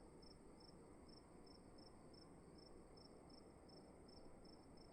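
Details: Cricket in a room calling with crisp high chirps spaced about every half second, regular and unbroken, set against a loud even low-pitched hum.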